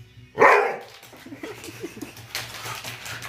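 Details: A dog named Terry gives one loud sharp bark near the start, followed by quieter mixed sounds and a low steady hum, with people talking in Bulgarian in the background.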